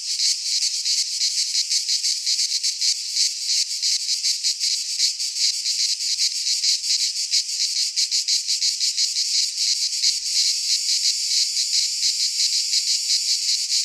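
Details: Midsummer cicada chorus from a pine forest in Greece, a loud continuous shrill buzz made of fast rhythmic pulses that hold steady throughout, nature ambience with no birds or voices.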